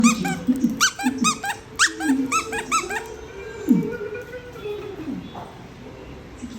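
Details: Siberian Husky indoors vocalizing while trying to get a sandwich; a string of high, squeaky whining yelps in the first three seconds, then lower moaning howls, over background music and human laughter.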